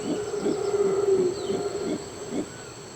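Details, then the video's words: A mantled howler monkey in Costa Rican forest gives a low, hollow, drawn-out howl with rough grunting pulses over faint forest hiss; howling, amplified by an enlarged hyoid bone, settles conflicts between howlers without fighting. "Eventuella konflikter mellan de mantlade vrålaporna hanteras helt enkelt genom att yla."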